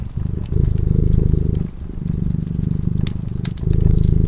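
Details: Sleeping cat by a cozy fireside purrs in a low, fluttering rumble, a brief dip near the middle before it swells again, with bright fire crackles ticking in the background.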